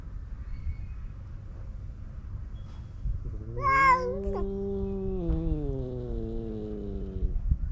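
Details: Male stray cats on a Japanese cat island starting a fight; a drawn-out, wavering low yowl rising then slowly falling over about four seconds, with a brief higher cry at its start, over faint outdoor rumble.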